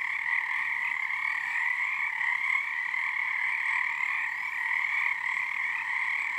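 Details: Frog choir at Frog Korner, Harstine Island, Washington, singing under the season's first full moon; dense continuous trilling from many frogs, steady and resonant, with small swells in volume.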